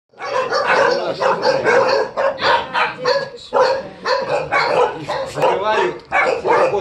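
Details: Tibetan Mastiff barking in a steady series of sharp, fairly high-pitched barks, about two to three per second, with short pauses between bursts; no other clear sounds.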